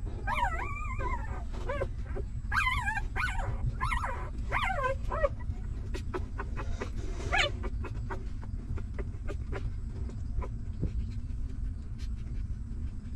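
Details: Hungry newborn puppies nursing from their stray mother give bursts of high, quavering whimpers for the first five seconds, then fall quiet apart from soft clicks and a steady low background rumble.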